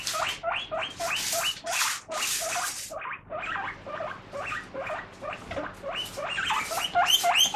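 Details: Guinea pig struggling with a prickly strawberry it wants to eat: rapid short squeaks mixed with loud rustling, crunching bursts, ending in higher chirps.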